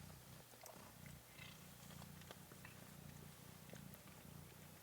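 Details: Kittens, 13 March 2017, producing a soft, even purr of low layered rumbling tones with a pulsing texture, backed by light hiss and small clicks.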